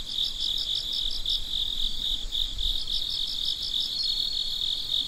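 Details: Crickets at midnight, a steady high chirping chorus: one continuous shrill trill underlaid by a second caller's short pulses in quick bursts, about six pulses per burst, with faint low rumble beneath.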